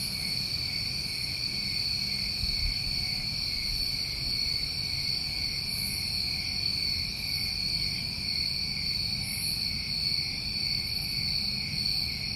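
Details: New England summertime crickets in a steady, unbroken chorus of high, shrill trilling, layered in several bright pitch bands with no pauses, over a faint low rumble.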